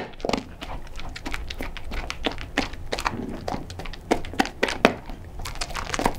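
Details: Sofie, a blind cocker spaniel, chews a load of her favourite dry crunchy kibble indoors, sharp irregular crunches and clicks several times a second with wet mouth noises and soft thumps in a small room.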